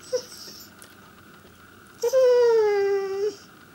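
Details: Chester, a Pembroke Welsh Corgi indoors, vocalizes to get attention: a brief yelp, then a long whining tone gliding slowly downward for over a second, rich in overtones, in a quiet small room.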